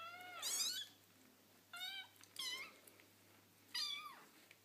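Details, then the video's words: Playful foster kittens with their mother cat, four high-pitched squeaky meows that rise and then drop, spaced unevenly over nearly five seconds. "Playful Kittens Making Cute Noises"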